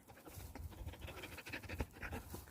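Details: Gaeul, a mountain-dwelling dog worn out by unusually hot April weather on a walk, pants while resting in the shade; quick, breathy bursts repeat several times a second, steady and soft, outdoors.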